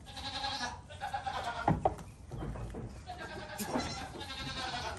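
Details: Goat kid bleating in short wavering cries at the start and end, with a couple of sharp clicks and thuds in between.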